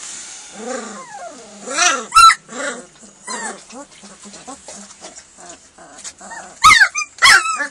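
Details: German Shepherd puppies, hungry at feeding time, a group crying with arched, falling whimpers and yelps, broken by a few sharp clatters toward the end.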